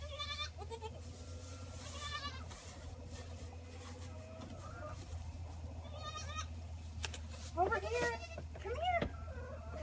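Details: Bottle-fed orphaned Boer goat kids, put outside the gate once finished with their milk; a few scattered bleats early on, then a burst of loud, quavering cries near the end, over a steady low hum and a woman's voice.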